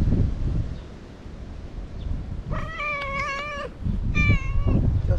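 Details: Stray cat Imouto-chan, fond of chatting: one long, steady, sustained meow, then a second shorter one, over a constant low background rumble outdoors.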